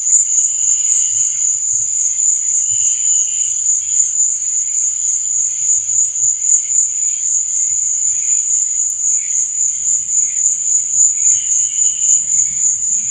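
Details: A steady, high, buzzy trill of crickets at night, pulsing quickly and evenly, with occasional quieter, lower chirp phrases. A faint low hum lingers underneath.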